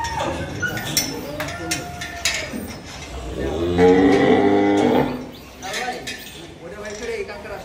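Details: Cattle at a large farm collection in Dhaka, Bangladesh, gathered for Qurbani Eid sale, 2024; a deep harmonic moo swells around the middle and lasts about a second, amid a busy background of voices and clatter.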